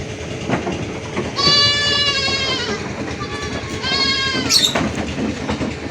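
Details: Goat giving two long, steady, nasal bleats rich in overtones, the first lasting about a second and a half, the second shorter, over constant rattling, clattering background noise.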